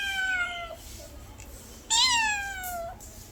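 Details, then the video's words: House cat producing two clear meows, the first long and level then dropping, the second louder, rising briefly and sliding down, with rich harmonics over a quiet low hum. "my cat original sound and reaction"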